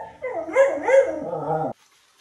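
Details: Puppy during a bath giving a drawn-out, wavering howl-like whine lasting about a second and a half, with pitch rising and falling in a few swells before stopping abruptly; near silence follows.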